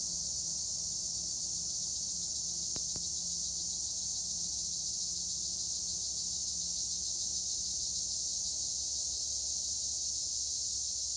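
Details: Steady, high, hissing insect chorus of tree crickets among olive trees in Gure, Edremit, Turkey, constant in pitch and loudness, with one double click early on and a faint low hum beneath.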